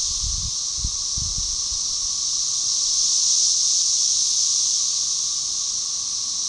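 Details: Magicicada tredecassini (13-year, Brood XIX) synchronise into a dense chorus that swells and eases; they fly during quieter phases; Magicicada tredecim drones behind; Tyler Bend Park, Buffalo River, Arkansas, May 30, 2011.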